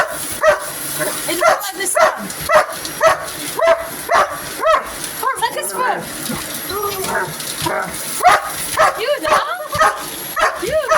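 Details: Hogan the dog barks at a vacuum cleaner, a run of short barks and yips about twice a second, some whiny, with human speech between and a constant high machine whine.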